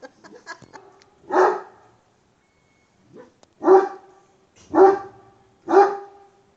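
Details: Aggressive, angry Kangal dog giving four deep, harsh single barks spaced about a second apart, after some faint clicks and a brief murmur at the start.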